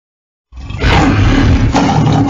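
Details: Lion roaring: a single loud, deep, broadband roar starting abruptly and sustained, rough and rumbling with strong low-pitched energy.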